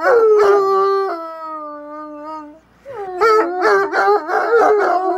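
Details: Two Bloodhounds in a long, friendly back-and-forth trade deep, mournful howls, one long and wavering, answered by choppy yodeling bays.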